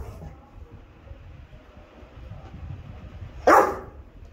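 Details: A single sharp, loud Rottweiler bark given on the spoken command "speak" during training, following a few seconds of quiet room noise.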